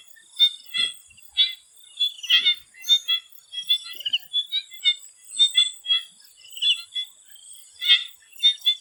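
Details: Swamp frogs calling in Thailand before sunset: many short, clicking, croaking pulses in an irregular chorus, about two dozen distinct bursts overlapping, with a steady high insect-like hiss running throughout.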